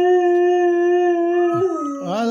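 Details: A dog gives a long, steady, mournful howl that wavers and dips near the end as its owner talks to it and asks it questions.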